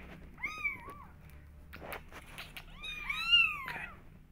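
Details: Young kittens crying to go out and explore the world; two drawn-out, high mews rise and fall, the second longer and stronger, with brief rustling between them.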